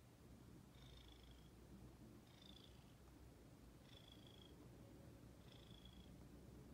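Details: Ginger, a female house cat, purring steadily; a deep constant rumble with four faint high-pitched breathy whistles, one roughly every one and a half seconds.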